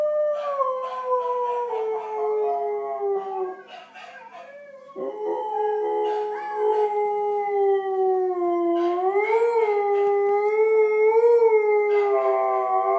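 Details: A female Siberian Husky, watching a video of herself on an iPad while another plays on TV, howls in long, wavering tones that slide down, then rise and swell again.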